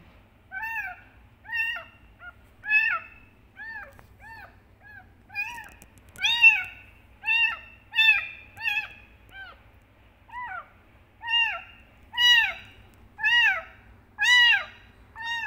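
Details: Kitten meowing loudly to call its mother, a long run of short arched, high meows repeated roughly once a second, steady and insistent, with little else heard.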